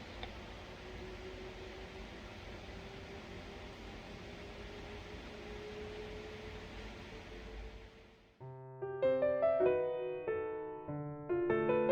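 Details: Quiet indoor hiss with a faint held tone gives way after eight seconds to gentle piano music, with no animal voice.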